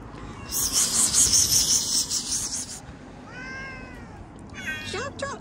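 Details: Domestic cat giving short rising-falling meows in the second half, preceded by a loud broadband hiss of noise, with a person speaking gently in Hindi nearby.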